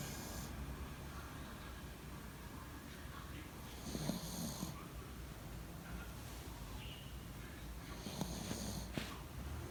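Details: Yorkshire Terrier asleep in a person's bed, recorded 28 February 2019 at 09:15; soft, rhythmic snorting breaths with two louder, rasping puffs about four and eight and a half seconds in, over a steady low indoor hum.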